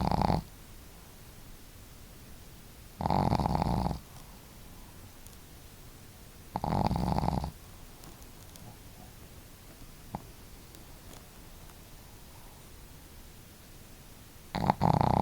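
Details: Sleeping household dogs Marimo (female) and Daigoro snore in turn; deep rasping snores, each about a second long, spaced three to four seconds apart with quiet breathing between.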